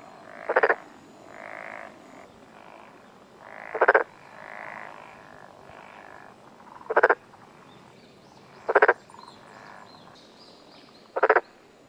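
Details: A black-spotted pond frog croaks on the morning of 6 June 2021 in the mountains of Tokuji, Yamaguchi, Japan. Five loud pulsed bursts come every two to three seconds, with softer drawn-out buzzy notes between them.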